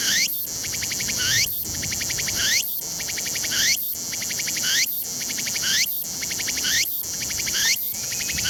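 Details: Loud Tsukutsukuboshi cicada at the summit of Mt. Ino, Umi town, Fukuoka, Japan, on a clear 21 September 2022 day; a rhythmic cycle of pulsed chirping notes and rising buzzy sweeps recurs roughly every 1.1 seconds, with a high continuous hiss behind.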